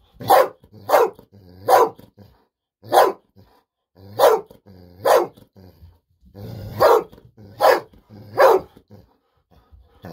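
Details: Golden Retriever named Bis barking happily indoors while waiting for a fish-sausage treat, about nine loud, sharp barks at uneven intervals of roughly one second, with short silent gaps between them.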